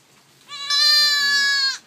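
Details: Loud single bleat from a newborn goat about a day old, held steady for over a second with rich harmonics, clean and close.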